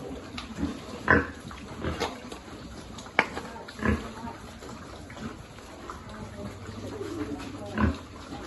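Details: Piglet at a farm during feeding, giving several throaty grunts spaced a few seconds apart, mixed with sharp clicks and eating noises, plus a faint low hum near the end.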